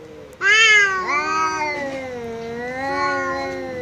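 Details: House cat confronting a visiting cat in a fight; a sudden loud yowl breaks in, then a long wavering moan slides lower and holds, rising slightly again near the end.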